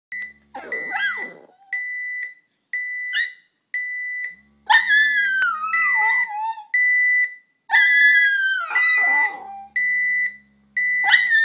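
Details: Sasha the dog howls at an alarm clock: an electronic beep repeats about once per second while the dog answers with wavering, falling, drawn-out howls and softer whines between beeps.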